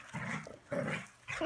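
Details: Rusty, a Poodle in Colorado, gives three short, harsh, rough-edged barks spaced roughly half a second apart, each a brief broadband burst with a low throaty base, in a quiet indoor setting.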